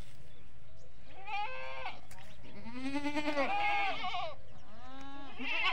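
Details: Goats and young kids at a desi goat farm give loud, tremulous bleats in quick succession, one long wavering call in the middle, backed by low machine-like hum.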